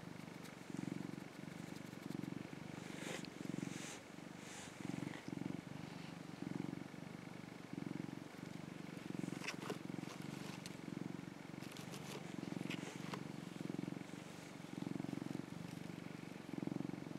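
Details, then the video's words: Mac, a rescued young male orange tabby cat, purring while sunbathing and affectionate; low rumbling purr in rhythmic pulses about a second apart, with some faint outdoor background noise and brief clicks. "喉を鳴らし、猫キック！？ - Cute Cat Mac Purring."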